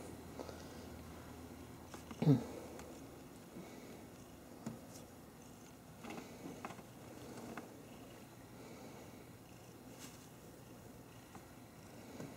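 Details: Domestic cats Tweak and Turbo snuggling indoors, Turbo hugging the other after spotting a squirrel outside; a steady low rumbling purr runs throughout, with soft rustling and a brief louder bump near the two-second mark.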